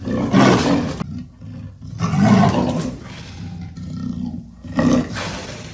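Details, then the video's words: Leopard letting out three separate harsh, rumbling growls, each about a second long, with quieter low rumbling in the gaps between them. "The sound of the leopard is like a large displacement engine"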